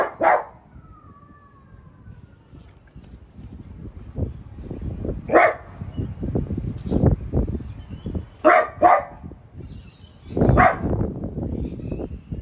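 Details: Pet French Bulldog Piper barks at the household's new artichoke plant; scattered single and double barks with quieter snuffling and rustling between them, plus a faint whine.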